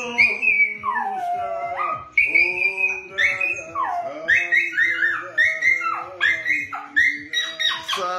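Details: A singing Dachshund howls in long, wavering, sliding notes, rising and dipping repeatedly over eight seconds, with a steady low musical tone and soft rhythmic accompaniment underneath.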